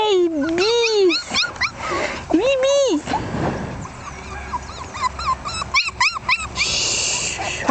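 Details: Jack Russell Terrier puppies aged one month, born 27 October 2010, make loud swooping whimpers, then a string of shorter, quick, bouncing yips, with people chatting in the background.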